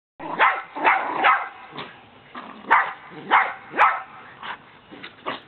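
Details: A Siberian Husky and a terrier playing tug of war with a rope toy give rough, gravelly playful growls in short bursts, about twice a second, with uneven gaps.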